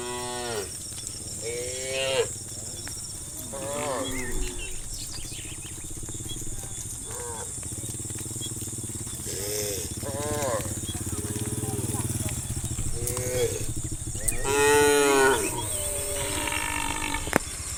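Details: A herd of tame cows runs along a quiet country road into a wide open field in late afternoon, several cows mooing in turn with rich, harmonic, wavering bellows over a steady hiss and low rumble.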